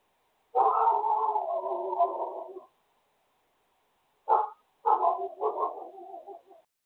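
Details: Morning barking from a neighbour's dogs: a long, rough, sustained bark-howl, a pause, then a short sharp bark and a broken, wavering bark, with silence between.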